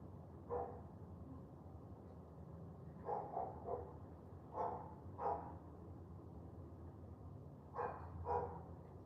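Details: Dog barking during a wet morning walk: short, sharp barks in loose bursts, a single bark first, then clusters of two or three, over a steady low rumble of damp outdoor background.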